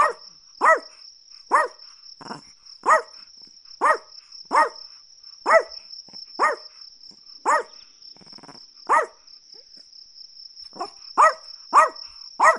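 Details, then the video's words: Long run of a Chihuahua's high, snappy barks, roughly fifteen yaps with a short pause near the end before a quick final burst, over a steady faint high-pitched trill. "Chihuahua Barking Sounds"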